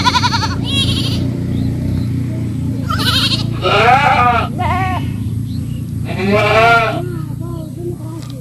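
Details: Goats bleating in a compilation of farm sounds: several loud, wavering, nasal bleats in short bursts, some rising and falling, with a steady low hum underneath throughout.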